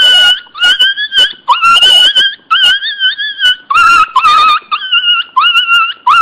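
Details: Loud crying from Teco the Pinscher puppy: a string of nasal, wavering whines, some sliding upward at the start, broken by short pauses and a few rougher, scratchy notes.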